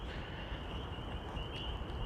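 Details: Spring peeper (Pseudacris crucifer) chorus, steady and high-pitched, behind heavy low rumbling, wind and thunder, recorded on a hiking trail at Middletown Reservoir on Easter Sunday just before a rain storm.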